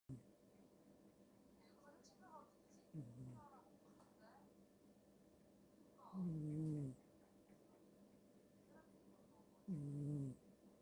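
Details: A sleeping cat snoring. Low, rough snores, each about a second long and falling slightly in pitch, come in a slow irregular rhythm with quiet breathing between them in a still room.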